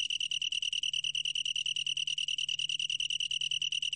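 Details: Shrill, sustained song of a long-tailed tree cricket, rapid evenly spaced pulses on a steady high tone running without breaks, over a faint low background drone.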